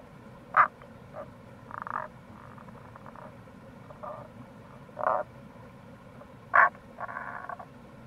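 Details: Tago's brown frog (Rana tagoi) calling in April near a gorge by the Kamo River, Itoshima, Fukuoka, Japan; short low croaking pulses and brief grating bursts spaced a second or two apart over a steady background hiss of flowing water.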